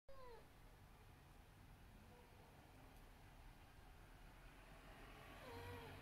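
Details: Abyssinian cat meowing: a short falling meow at the start and another near the end, with low steady rumbling background noise between them.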